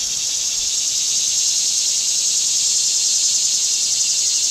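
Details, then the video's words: Cicada calling in summer, an even, high, sizzling drone with a faint rapid pulse, steady from start to finish. "Cicada Summer"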